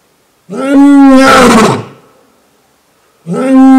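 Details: Lion roaring in the African savanna to mark territory and keep in touch with its pride: a loud, strongly tonal moaning roar swelling into a harsh blast, fading out, then a second tonal roar beginning.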